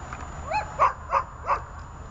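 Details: Glemmy, Fela and Rey, leashed dogs, produce three quick high yips in a row, each short and bright, over a low hum.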